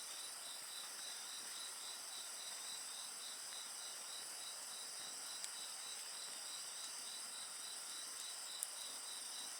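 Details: Night insect chorus with a bonfire: rapid, regular high chirps, about three or four per second, over a constant shrill buzz, broken by a couple of faint crackles from the fire.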